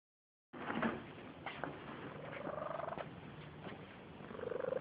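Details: Sleeping barn cat snoring, a rough low rasp with breaths repeating roughly every second, carrying faint tonal hums that rise and level off, recorded on a phone.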